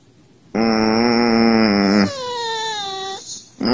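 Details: Indoors, a Siberian Husky vocalizes to rouse its owner, perhaps from hunger: a loud, low, drawn-out moan held for about one and a half seconds, switching into a higher falling whine, then a short rising yelp begins.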